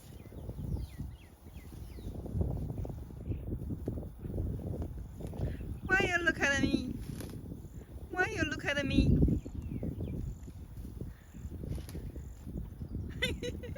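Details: Many cows grazing together, calling from time to time: two short, strained, harmonic moos about two seconds apart, set against steady low tearing and chewing of grass, shuffling hooves, and faint bird chirps.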